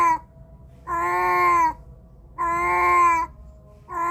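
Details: A cat, recorded using a Samsung A53 phone, voices two full drawn-out meows lasting nearly a second each, flat and rich in harmonics, with clipped call fragments at the start and end and quiet room noise between.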